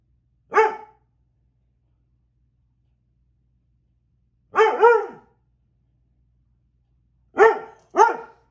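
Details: Pet dog, a female, barking at an uncatchable fly: one short bark, a long gap, then a quick double bark, then two more barks close together near the end, all sharp and harmonic over a quiet background.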